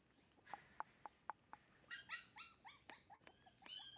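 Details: Red Shiba Inu female puppy, 27 days old, giving a run of short, high whimpers from about two seconds on. Each whimper bends sharply downward. They follow sharp regular clicking taps in the first half.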